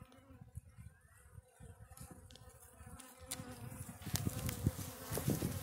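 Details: Russian honey bees hum steadily, low and growing louder, with occasional knocks and clatter as their hive on a black stand is opened for the first time and frames are checked for eggs.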